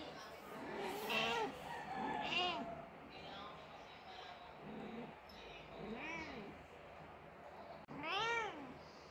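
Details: Persian mother cat crying after her kitten died, giving four drawn-out, arching meows spaced a few seconds apart, the last loud and rising then falling, with a person speaking softly in between.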